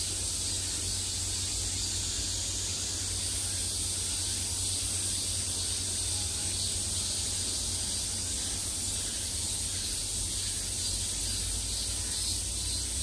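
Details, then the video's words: Summer cicadas heard from all sides, a dense, steady high buzzing that holds unbroken for the whole stretch, with faint flickering texture on top and a constant low hum underneath. "매미소리를 들으며 휴식. Cicadas's buzzing sound"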